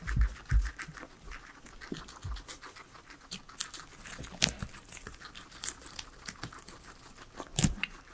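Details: Three pet guinea pigs eating their veggies indoors, a quiet salad meal with no talking or music; sparse sharp crunches and bites scattered through soft background rustle, with a louder crunch near the end.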